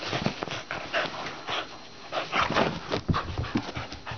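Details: Playing dogs panting and huffing in short breathy bursts, uneven in rhythm, with occasional soft whimpering tones and low rustling movement underneath.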